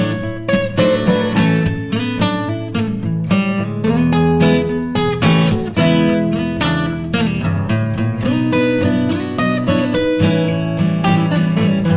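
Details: Loud strummed acoustic guitar music plays throughout, with no animal sound.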